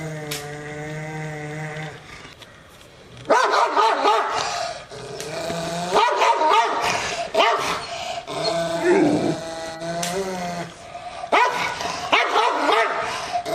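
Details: Angry Rottweiler barking: a low steady hum at first, then repeated harsh, hoarse barks with rough growling between them, coming in uneven bursts over several seconds.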